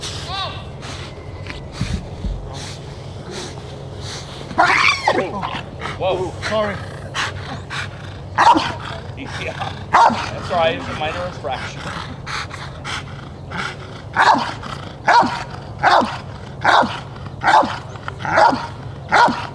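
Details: During the protection phase of a 2021 DVG America championship qualifying trial, the IGP3 Rottweiler Jefe von Tonatiuh barks in irregular bursts at first, then in a steady run of strong barks nearly one per second near the end, over crowd and voice noise.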